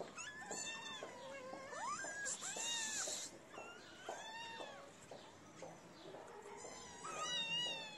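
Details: Several feral street kittens crowd around a person feeding them, having left their black-nosed mother. Overlapping high, arched meows rise and fall almost continuously, with a brief hissing noise burst midway.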